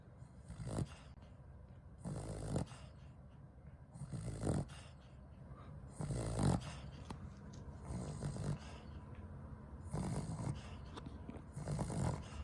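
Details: A sleeping Cavalier King Charles Spaniel snoring loudly and not waking, deep rumbling snores recurring about every two seconds, each a low noisy burst with short pauses between.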